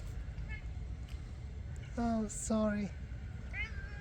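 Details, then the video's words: Stray cats begging for food at night outdoors: two short, slightly falling meows half a second apart, flanked by thinner, higher mews before and after, over low traffic-like rumble and a person talking. "Homeless hungry stray cats ask for food at night"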